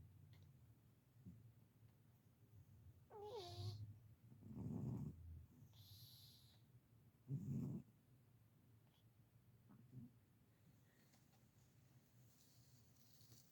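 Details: Sleeping pet cat Marlowe snoring: low, breathy rasping bursts, two loud ones about two and a half seconds apart, with a short squeaky wheeze before them and soft rustles between.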